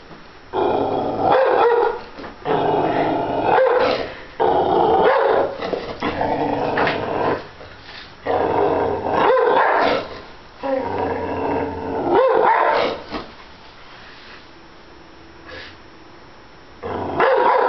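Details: Pet dog barking and growling at a stuffed bear: bursts of harsh, rumbling growls with sharp barks, roughly every one to two seconds, then a few seconds of quiet before another growl.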